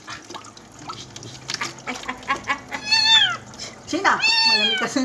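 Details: Kitten in its first bath, giving two strained, rising-then-falling meows near the end after quieter murmuring, with people talking and water splashing.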